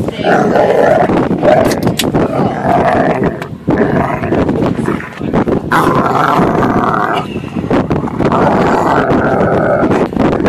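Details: Dog protesting on a boat as its time in the water ends: sustained, rising and falling whines and howls with a dip in loudness midway, then more insistent drawn-out cries, with water and boat sounds.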